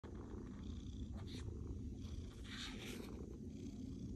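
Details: A female Maine Coon cat purrs in a steady, deep, continuous rumble of contentment.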